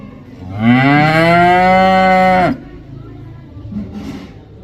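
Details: Cow giving one loud, sustained moo of nearly two seconds, rising briefly at the onset then held steady, followed by quiet with a faint distant sound.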